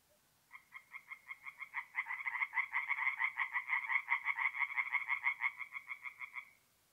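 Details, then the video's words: In mid-April at night by a north-east Italian forest pond, a tree frog's croaking bout rises from spaced pulses to a fast, dense burst with a second frog joining, then tapers and stops after about six seconds. "relaxing forest pond by night with singing tree frogs"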